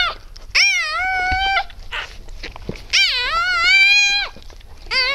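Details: Freshly born Siberian Husky puppy from a litter of eight, born 12 December 2015 at about 20:30, gives long, high, nasal squealing wails, each held about a second, three in quick succession.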